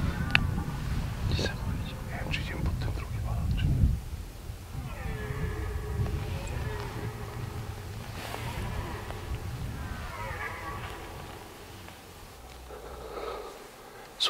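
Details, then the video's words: Red deer stags roar during the peak of the rut, long harmonic bellows rising and falling, from six stags about 120 m ahead in a grass field near forest on a hot day. "There're 6 stags just ahead - They have not stopped roaring."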